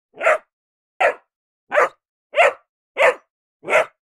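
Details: A ridgeback cross bullmastiff puppy several weeks old gives six short, high yapping barks, each separate, about every two-thirds of a second.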